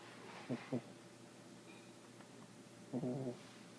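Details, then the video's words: Female puppy snoring in her sleep: two quick clipped snorts, then a longer buzzy snore near the end, over faint indoor hum. "My baby dog when she sleep she snoring"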